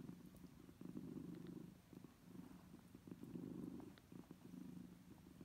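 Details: Kittens suckling from their mother cat: a continuous vibrating low purr in alternating louder and softer phases, with a few small sharp clicks overhead.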